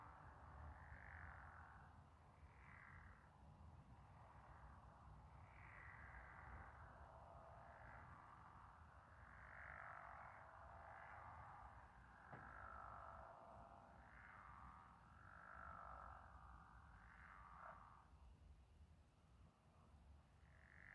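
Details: Frogs or toads in a night chorus under moonlight; overlapping rough croaking bursts swelling and fading every second or two, with a steady low rumble beneath.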